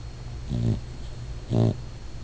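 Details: Pet dog dreaming and snoring while asleep: two low, droning, nasal snores about a second apart, each lasting around a quarter second, over a steady low household hum.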